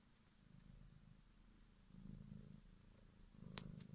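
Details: Purring from the kitten Bodza: low, grainy rumble rising and falling in breathy cycles, growing louder in the second half, with a brief click near the end.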